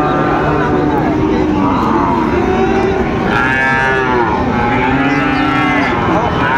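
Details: Sahiwal bull calves at Raniganj cattle market in Dinajpur, 29 August 2024; fainter, wavering moos rise and fall in the second half, buried in loud, constant crowd noise.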